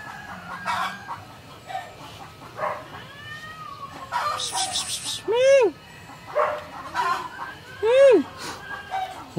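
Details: Female cat angry with a neighbour's male cat: two loud, arched yowls that rise and fall, a few seconds apart, among scattered shorter cries, rustling and background noise.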